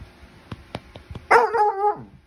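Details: Basset Hound, male, protesting having his ears cleaned: after a few soft taps comes one loud, drawn-out howling bark of under a second, harmonically rich and sliding downward at its end.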